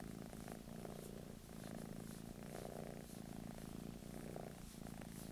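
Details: British Shorthair cat in England purring contentedly, an even low-pitched rumble rising and falling with each breath about once per second, no other sounds.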